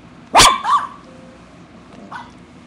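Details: Eight-year-old female poodle, a household pet, lets out one loud sharp bark followed by a softer yelp and a faint last yip, while pretending to chew gum.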